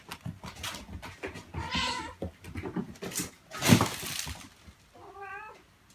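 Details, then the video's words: Domestic cat meows, gathered to attract cats, especially new cats, kittens or cats in hiding: two short harmonic meows amid scattered clicks and low thumps, the second rising then falling, with a loud broadband burst between them. "Meows to ATTRACT CATS"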